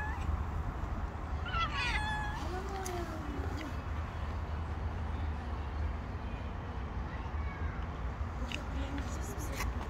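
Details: Stray tabby cat and her group of street cats gathering around a person and demanding food, with a rising-falling meow near the start followed by a lower drawn-out meow, over steady low rumbling background noise.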